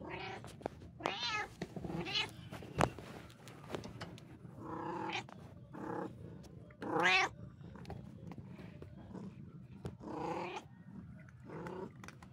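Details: Domestic cat meowing repeatedly, short arched harmonic cries rising and falling, about eight across twelve seconds with one loud high wail near the middle; sharp clicks and room noise between calls.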